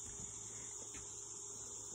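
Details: Many crickets chirp together as background sound on a Kentucky farm on a mild day, forming a steady, unbroken, very high-pitched shimmering drone that holds level throughout.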